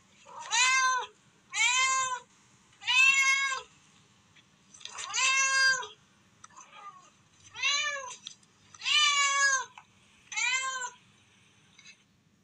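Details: Baby cat calling for its mother in a village home: eight loud, harmonically rich meows, each rising then falling, repeated roughly every one to two seconds against a quiet background.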